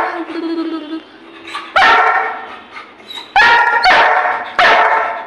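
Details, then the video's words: Goku, a playful Labrador Retriever kept as a pet, answers an owner's Hindi coaxing about toys and ice cream with four loud, harmonic barks, the last three close together, speech between them. "Labrador🐶 की नटखट Mastii 😁|| आपको Labrador 😉की शरारत कैसी लगी😆"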